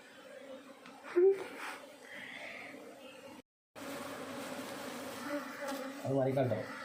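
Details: Western honey bee colony, settled in a discarded TV stand on a terrace, being moved comb by comb into a new hive box; steady low droning hum throughout, a brief gap midway, a man's voice talking near the end.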